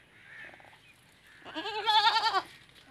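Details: Teddy goat during mating in a Punjab, Pakistan village; a faint low murmur gives way to one rising, tremulous bleat lasting about a second.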